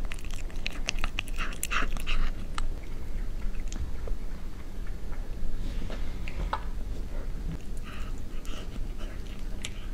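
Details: Cat eating, recorded closely ASMR-style: bursts of crunchy chewing at the start and end, quieter sparse clicks in between, all over a persistent low-frequency rumble.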